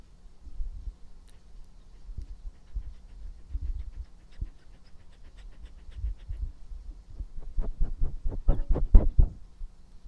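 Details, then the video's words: Close ASMR recording of the pet dog Epo breathing: soft irregular puffs at first, then a loud burst of quick, heavy panting breaths toward the end. "breath/Mastication sound/drink"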